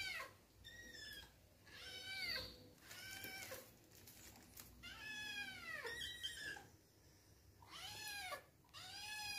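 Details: Excited kittens Biscuit and Cream meow loudly for their new treat, about six bright, tonal meows in quick succession, some short and squeaky, others drawn out and arching downward, calls from both animals partly overlapping.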